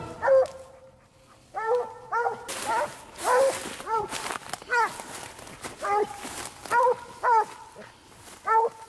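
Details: Treeing Walker Coonhound on a night coon hunt, giving repeated harmonic barks and bawls, some drawn out into a long held note, at irregular intervals of about half a second to a second; brief noise bursts between.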